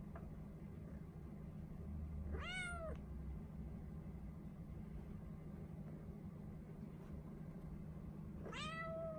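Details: Ren, a four-month-old female Norwegian Forest Cat kept in a cage, asks to be let out; two bright rising-then-falling meows about six seconds apart against constant low background hum.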